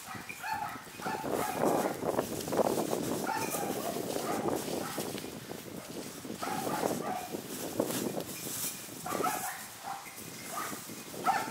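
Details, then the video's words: Hunting dogs bark in rough, overlapping bursts a short way off, baying at a large wild boar they chased from a thicket, keeping their distance from it during a boar hunt. "イノシシを追跡した犬たちがそう遠くない場所で鳴いています。"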